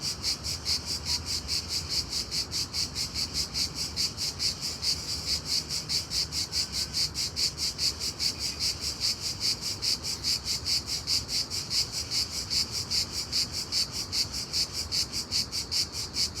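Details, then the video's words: A very loud daytime cricket gives a long unbroken series of sharp, high, rasping chirps, about two and a half each second, steady in rhythm and loudness throughout. "Unbelievably loud cricket chirping sound in day time."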